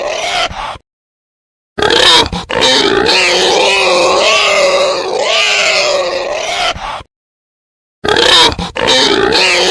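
A male wild boar gives harsh, rasping grunts and squealing roars in long, uneven bursts.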